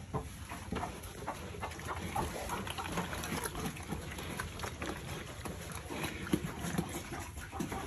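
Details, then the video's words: Farm-raised piglets eating: a dense stream of crunching, smacking chewing clicks and snuffling throughout, steady in loudness, with no clear vocal calls standing out. "Piglets Farming Eating So Yummy"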